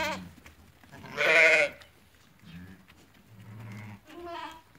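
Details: Several ewes that have lambed, held for sale at market in Fquih Ben Salah, Morocco: a strong, quavering bleat dominates, with lower, shorter bleats from other sheep before and after it.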